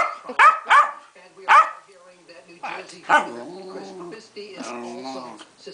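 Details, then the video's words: Pancake, a female pet Keeshond, in an angry fit: a few sharp barks spaced about a second apart, then a drawn-out whining, moaning note, with a person talking over her. "My beloved Keeshond Pancake has a hissy fit"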